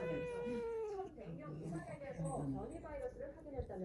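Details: Pet cat giving a continuous defensive vocalization while a disliked person touches it: a steady, harmonic moaning growl that sinks in pitch over about a second, then breaks into rougher wavering sounds, with a news broadcaster speaking in the background.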